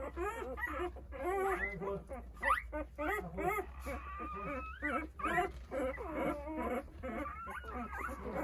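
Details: Eight-day-old Jindo puppies, a litter of nine, cry out searching for their mother as she eats; clear tonal whines arch up and down, some long rising squeals, packed closely with a constant low hum.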